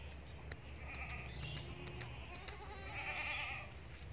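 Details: Etawa crossbreed doe goat (kambing Bety Kros bor), a prospective breeding female, gives a wavering, stacked-harmonic bleat near the end; earlier sharp clicks and steady low hum run underneath.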